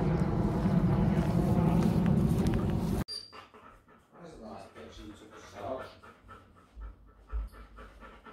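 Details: Vizsla dogs, Serge and his new buddy Jett, after zooming around a fenced dog park together: fast, steady, breathy panting at about 220 breaths a minute for three seconds, then quieter shuffling with a person speaking to them.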